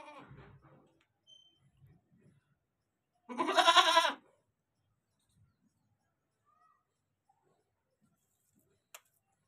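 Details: Farm goat letting out a single loud, harsh, strained bleat of about one second midway, after faint low murmuring sounds at the start; the rest is nearly silent apart from one sharp click near the end.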